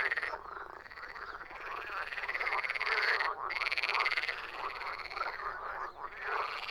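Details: Frogs croaking in a dense chorus: rapid, rasping pulses overlap continuously, with several callers heard at once and brief dips in loudness between bursts.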